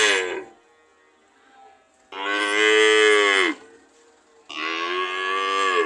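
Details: Cow moos: the tail of one call, then two long, loud, harmonic moos of about one and a half seconds each, separated by quiet gaps, with a slight downward slide at their ends.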